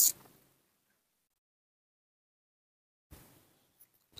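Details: Mostly silence, broken by brief bursts of hiss and clicks at the start and after three seconds, with no animal call heard.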